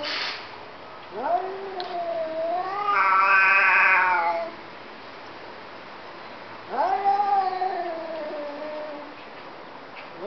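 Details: Two cats talking to each other: long, drawn-out, wavering yowls with rich harmonics. One swells and falls over about three seconds, and a second yowl starts with a sharp rise and then slowly slides downward, with quiet pauses between.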